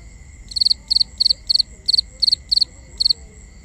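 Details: Crickets at night, binaural ambience: a loud cricket gives bursts of three or four rapid high pulses, about eight chirps spaced roughly a third of a second apart, over a steady high background trill and soft low rumble.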